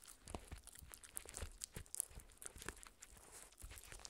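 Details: Shetland Sheepdog puppy Spencer, 4 months old, tears at a raw beef bone inside: softer, duller tearing and crunching with low thumps and a few sharp clicks, quieter than steady gnawing.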